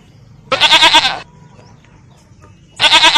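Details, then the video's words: Goat giving a loud, quavering bleat lasting under a second, followed by a pause and the start of another bleat; faint background noise. "Suara Kambing"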